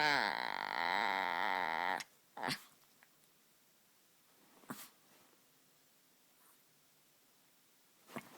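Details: A white Chihuahua puppy gives one long, wavering, nasal moan lasting about two seconds, then falls quiet apart from a few faint clicks and soft taps.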